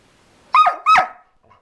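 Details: Border Collie barking and snarling at its owner: two quick, sharp barks in succession, each with a bright, strained, slightly whining tone that falls away at the end, in a quiet indoor setting.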